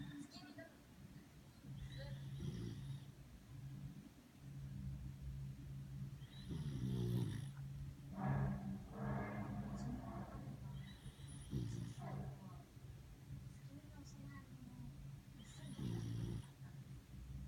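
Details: Sleeping schnauzer snoring: low rumbling breaths at irregular intervals, a few louder snorts near seven and nine seconds, soft human voices in the background.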